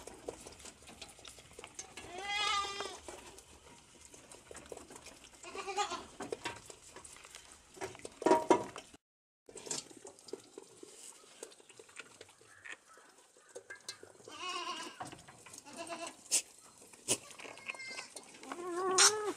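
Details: Young goat kids, one month old, learning to eat corn offal; scattered short wavering bleats at intervals over background rustling, with a brief silent gap midway.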